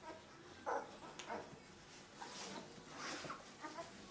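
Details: Two-week-old puppies of Limit's 13-pup litter: one sharp, louder yelping whine stands out early, followed by softer, scattered squeaks and thin whimpers.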